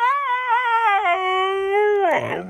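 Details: Siberian Husky giving a single long, smooth howl with rich harmonics. It wavers slightly, then dips and holds steady before breaking off into a rough, noisy ending in a small room.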